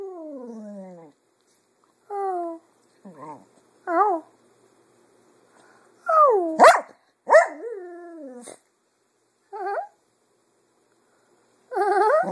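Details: Female pet Cocker Spaniel mimicking her owners' voices in song during the afternoon; a drooping howl, then scattered short warbling yowls and wavering vocal bursts separated by silences, some higher and quavering.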